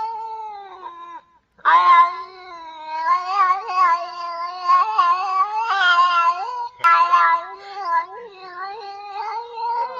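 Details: Domestic female cat in heat yowling: a low, held moan breaks off, then a long, wavering caterwaul with repeated rises and dips in pitch and loudness, continuing for about eight seconds with brief catches and no other sounds.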